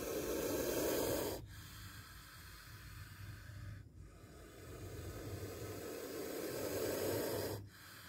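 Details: Spectacled cobra hissing during a close encounter with a near bite: a long breathy low rasp fills the first second and a half, then a quieter drawn-out exhalation runs for about six seconds before a brief pause.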